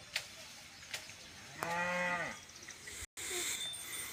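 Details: Khillar cattle in Maharashtra farmland being readied for wheat and sugarcane: a single harmonic moo about one second long, steady then falling at the end, among faint clicks and a brief gap.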